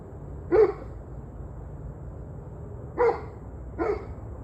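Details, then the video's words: Dog barking, recorded 21 November 2023 at 7:06 pm: three short, sharp barks, one early, then a pair about a second apart, over a steady low background hum. "Barking Dogs"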